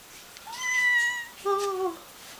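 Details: Cat aged four months meowing for no real reason: two short meows in quick succession, the first level and bright, the second lower and slightly falling, in a quiet room.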